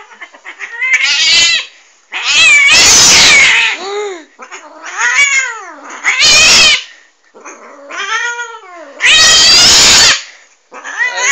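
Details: Angry pet cat yowling repeatedly, long wavering wails rising and falling in pitch, several loud harsh bursts alternating with softer arched moans, about six calls in eleven seconds.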